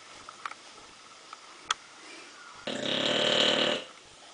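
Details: A sleeping English bulldog gives a single harsh, wheezy snore lasting about a second, with a faint whistle in it.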